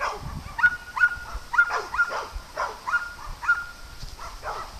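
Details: On a farm during playtime, dogs give a run of short yaps about once a second, fairly even in pitch, with a faint steady tone and light background rustle.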